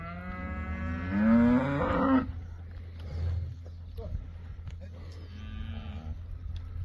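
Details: Beefmaster first-calf cows with their calves: a long, loud moo rising in pitch and then breaking off, followed by a quieter, shorter low moo, with a steady low rumble beneath.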